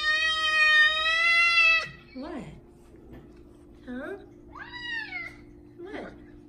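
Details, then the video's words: A big male F2 Savannah cat gives one long, loud, steady meow, then several shorter, softer, bending meows, demanding food as he does at feeding time. "My big Savannah cat meows so loud."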